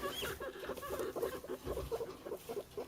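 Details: A 4-week-old guinea pig moving about makes low, rapid, stuttering chuts, a complaining sound, as if grumbling at others.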